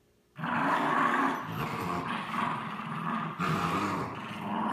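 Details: French Bulldog and Bichon Frise growling during a tug-of-war game; a low, throaty growl begins abruptly after a short silence and continues steadily, with a brief surge late on.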